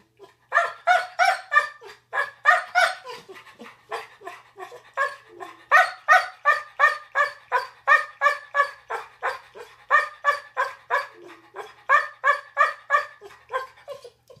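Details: Yellow Labrador Retriever Tiger 'explaining' the mixed-up bed: a long unbroken run of rhythmic, harmonic grumbling howls and yips, close to three per second for fourteen seconds, varying in strength, in a quiet room.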